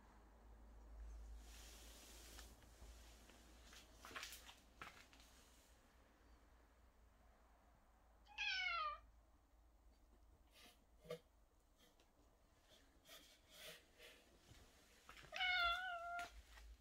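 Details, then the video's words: Cat crying continuously as it wanders around a room indoors; two drawn-out, falling meows about seven seconds apart, with scattered clicks and soft rustling between them. "계속 울면서 방을 돌아다니는 고양이"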